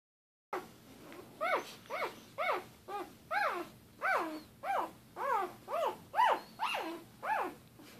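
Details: Litter of one-day-old Doberman Pinscher puppies, born in late January 2014, crying in rapid, thin, arching squeals that rise then fall, about two per second, several pups overlapping.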